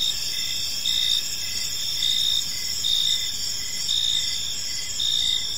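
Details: Crickets chirp in a quiet evening park, bright high trills with pulsed chirps arriving in loud bursts roughly once a second, steady rhythm over faint low ambient noise.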